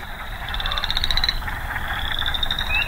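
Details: Frogs, the first heard all year, give high, rapid pulsed trills in early May at Sax-Zim Bog, two runs of about a second each, the second rising slightly, over a steady low rumble of wind.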